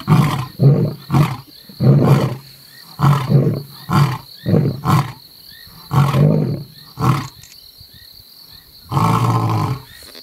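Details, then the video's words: Roaring sequence from Mapogo male lions: a string of short, deep grunts in quick succession, a pause, then one longer final groan. "Male lions roaring"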